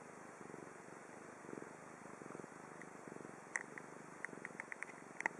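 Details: Chibi the cat purring in Japan, soft low rhythmic rumbles pulsing with breath, joined toward the end by a run of sharp light clicks and taps.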